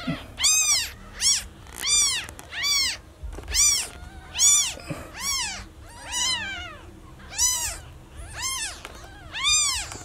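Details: Rapid, urgent mewing from a newborn kitten separated from its mother, about twelve arched cries in ten seconds, several doubled or overlapping, steady and frantic.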